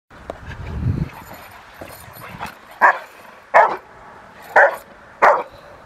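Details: Young female Rottweiler, 13 months old, during protection training in April 2021 ahead of ZTP and IGP1 trials: after some low shuffling noise, four sharp, loud barks come roughly one second apart, with faint handling sounds between.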